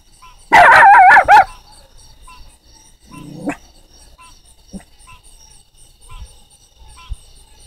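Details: Puppy barking at the sound of a frog, giving three quick loud harmonic barks at the start, then a short low growl-like sound, a few faint clicks and a steady high tonal hum in the background.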